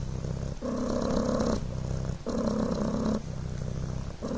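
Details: Devon Rex kitten Coco purring on a blanket: a soft, low, continuous buzzing that swells and fades with each breath, with short pauses roughly every one and a half seconds.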